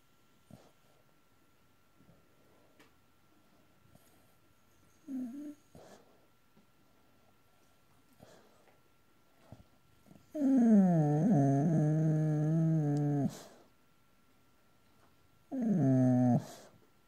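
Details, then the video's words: A Boxer dog dreaming in his sleep, mostly quiet breathing and faint sounds, then a long wavering whine-like moan lasting about three seconds and a shorter second one near the end. "Boxer dog dreaming in his sleep."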